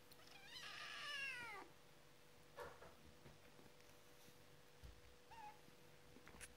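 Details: A white and ginger male Domestic Shorthair kitten gives a high, drawn-out meow, followed by a few softer, brief mews; recorded 4 February 2015.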